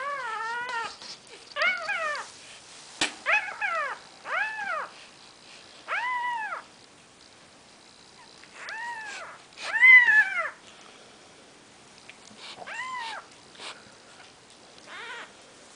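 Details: Four-day-old Maine Coon kittens, from a litter of seven, give a run of high, thin mews, each rising and falling.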